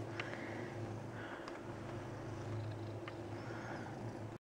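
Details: A fat male Siamese cat purrs steadily in a low continuous rumble while demanding attention and stroking from its owner.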